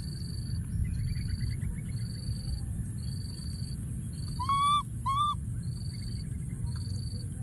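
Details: A baby monkey hiding in a thorny tree gives two brief, clear squealing coos, calling out for its missing friend.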